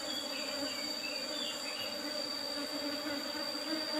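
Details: Apis cerana bees buzzing while honey is harvested from their old-style box hive with a used asbestos lid; short stretch of steady, dense droning with a persistent high whine and faint chirps near the start.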